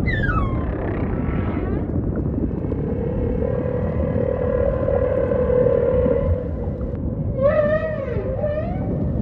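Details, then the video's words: Humpback whale song in ocean surroundings: a falling swoop opens, then a long level moan holds for several seconds, ending with rapid upswept cries and a twisting, wavering tone over low rumble. "Majestic Whale Song · beautiful humpback & ocean ambience"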